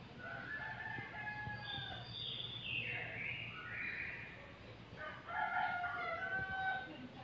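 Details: Bekisar, a rare fowl, heard crowing at moderate distance: layered harmonic crows, one stretching about two seconds with a rising then falling sweep, a second burst near the end, over steady low background hum.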